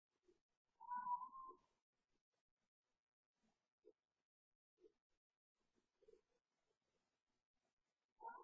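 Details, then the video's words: Cooper, a house cat, playing at night after bedtime: one short yowl near the start and another brief one at the end, with soft scattered thumps and taps between them. "Cat yowling and playing"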